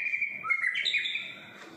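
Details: Morning song from a pet long-tailed white-rumped shama outside a Singapore apartment: a rich run of warbled, slurred whistles climbing and dipping, loud at first and fading over about two seconds.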